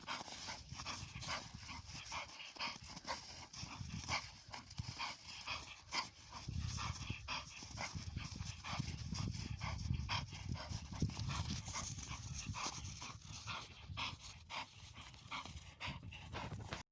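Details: Exhausted Bull Terrier after a play session, panting continuously: quick, noisy, rasping breaths follow one another in an even, fast rhythm from start to finish, with no other clear sounds.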